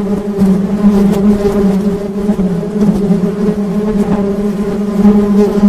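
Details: Low steady drone of honey bees, a sustained hum with bright overtones and small fluctuations in loudness across almost six seconds.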